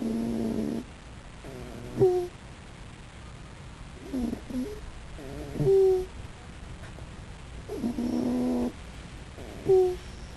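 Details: Snoring raccoon, asleep: harsh, buzzy snores lasting up to a second, mixed with softer sputtering breaths and brief high squeaky notes, in an irregular rhythm over ten seconds.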